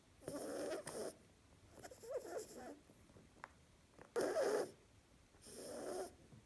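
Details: Female pet harlequin rabbit asleep, snoring and seeming to talk in her sleep: four breathy, noisy snorts about every one to two seconds, some carrying faint squeaky tonal wavers, with quiet pauses between.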